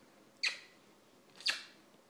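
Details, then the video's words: Lola, an attention-seeking puppy who dislikes being ignored, lets out two sharp, high, squeaky yips about one second apart, each bursting abruptly and trailing off quickly, with near silence between them. "Demanding puppy"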